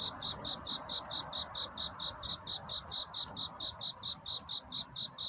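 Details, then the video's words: Cricket calling for love in the night before dawn: sharp, high pulsed chirps repeated at a brisk, regular pace, around three to four per second, above a faint murmuring background. "귀뚜라미 울음소리. 슬퍼 말아요 우는 것이 아니라 사랑을 찾는 노래랍니다 구애의 밤"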